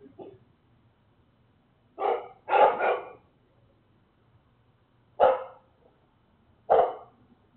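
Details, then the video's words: Dogs put outside in the middle of the night, at 3:02 a.m. on October 23, barking loudly enough to wake the neighborhood. The barks are sharp and harsh. One comes, then a quick cluster of three, then two single barks spaced over several seconds. "Harden Dogs Barking"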